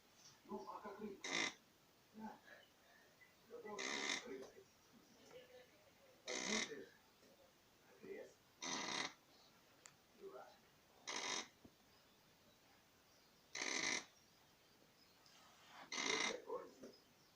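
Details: Sleeping dog snoring indoors: seven loud, airy, hissing snore breaths about every two and a half seconds, with softer rasping murmurs between them.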